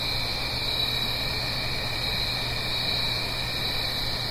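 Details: Night-time cricket chorus in autumn, Blue Ridge Mountains, above a gentle stream: constant high, pulsing shimmer in two bright bands, unbroken, accompanied by a faint low hum and smooth broadband rush.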